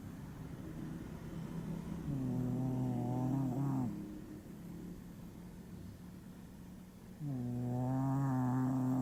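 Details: A sleeping, exhausted dog gives two drawn-out, buzzing snores, each near two seconds and rising slightly at the end, over a low steady background hum indoors.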